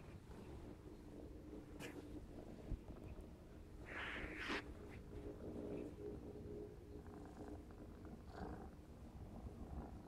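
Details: Purring from Clarence, a black smoke Maine Coon aged 4½ months, during play: continuous low rumble with a faint steady hum, brief rustling bursts near the middle and soft handling noises.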